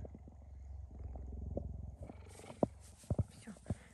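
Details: Gerda, a pet cheetah, cuddling affectionately with a person: steady, low rhythmic purring pulses for about two seconds, then rustling, handling noise and a few sharp thumps.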